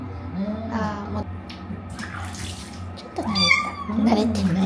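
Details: Minuet kitten Asari objects to her first-ever bath, shampooing called off over her protests: two drawn-out, arching meows, rising then falling, a few seconds apart over running tap water and a low hum.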